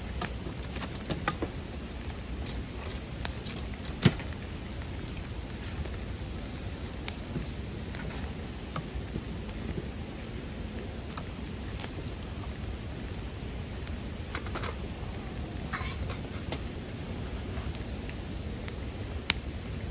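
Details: Bell crickets calling as a soothing sleep background: a steady, high, ringing tone that holds unbroken for the whole stretch, with crackles and pops from a campfire scattered throughout.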